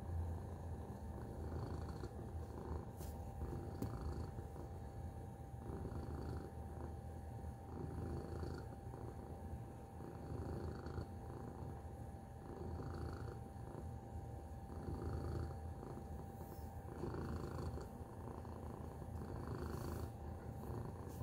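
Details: Tacy, a domestic cat, purring: a soft, steady low rumble that continues through the whole stretch with gentle pulsing rises and falls, plus faint scattered clicks and rustles above it.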